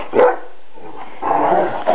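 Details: Pet dogs indoors, a Giant Schnauzer and a Doberman Pinscher together; a loud short bark, then a longer rough vocal burst and another brief bark within two seconds.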